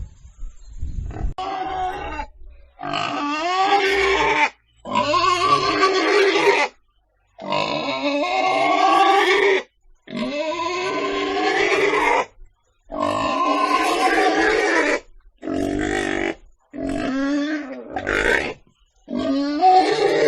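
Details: Pig giving a string of loud, harsh, drawn-out squeals lasting one to two seconds each, some with wavering pitch, separated by short silent gaps.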